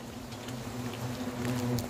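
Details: Hornets swarming around a huge nest hanging in a garden cherry tree at a countryside house while it is being removed: a steady, low droning buzz with a strong hum and an overtone above, swelling slightly toward the end, with faint ticks.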